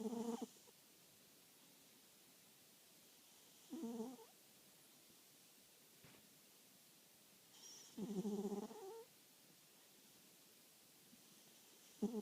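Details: Sleeping cat snoring softly and quietly, rough breathy snorts recurring about every four seconds with near-silent pauses between them.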